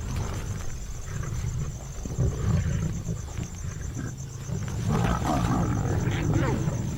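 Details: Asiatic lions in India give deep, rumbling growls in overlapping bursts after a pride hunt of spotted deer, with a man's voice talking over them.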